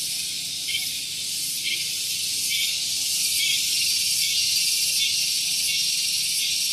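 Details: Cicadas singing loudly on a morning at Gunung Geulis, Bogor, West Java, near a vehicle parking area: a dense, steady high-pitched buzzing drone with faint pulsing swells roughly every second.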